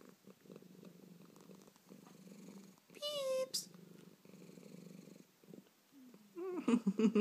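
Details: A pet cat with hiccups purrs steadily in low, rapid pulses, broken by a brief high squeak. A person speaks close by near the end.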